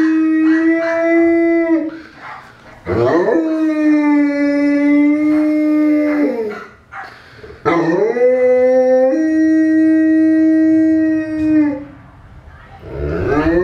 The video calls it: Newfoundland dog howling, huilende newfoundlander